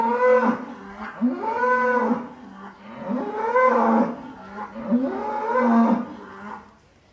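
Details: Giant cattle unloaded from a truck at Bintang Tani Farm, mooing in a series of arching, moaning calls roughly every second or so, each swelling and falling in pitch, with little else audible.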